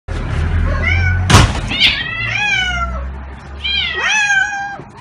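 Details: ['Two pet cats, calico Mieze and tabby Billie, in a series of clear, bending meows. Each rises then falls in pitch, with a sharp knock near the start over a low rumbling background.']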